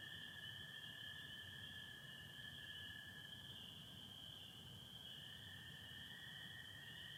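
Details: On a spring night in Michigan, 24 April 2025, spring peepers form a constant high piping chorus while American toads hold a clear, sustained lower trill just beneath; some overcast among the stars.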